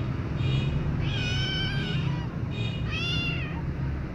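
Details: A white kitten meows loudly, two high-pitched meows each rising then falling, while its mother licks the baby kittens, over a low background rumble; cat.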